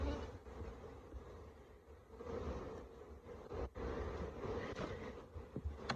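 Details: Honey bees from a huge hive they built inside a Jacuzzi, entering through a hole in the bottom corner, during a live hive removal: a dense, continuous swarm buzz, a steady low hum that swells and eases with brief dips.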